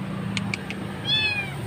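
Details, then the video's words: Kitten found crying alone beside a road, likely dumped or left behind by its mother, utters a single high, falling meow after three sharp clicks, with a low hum of traffic underneath. "kucing menangis dibuang"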